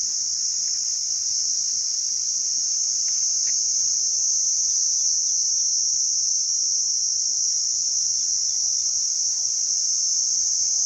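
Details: ['Cricket chirping, made by rubbing the wings together: a steady, unbroken high-pitched shrill trill that holds an even level throughout, with a faint low background hiss.']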